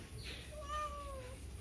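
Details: Cat passing by the side of a house, meowing to ask for food: a single drawn-out, tonal meow lasting under a second that holds steady, then sags slightly in pitch at the end, over a low steady background hum.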